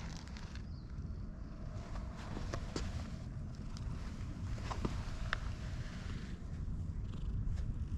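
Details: Friendly white cat on a bridge, pressing close to someone trying to cross, purring in a low steady rumble, with scattered soft clicks and rubbing noises over it.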